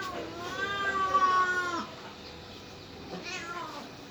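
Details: Cat giving one long, clear, drawn-out meow lasting over a second that slides slightly downward at the end, followed after a pause by a short, faint second mew.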